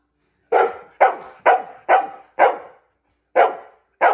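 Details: A female dog demanding a treat lets out seven loud, punchy barks about half a second apart, with one longer pause before the last two.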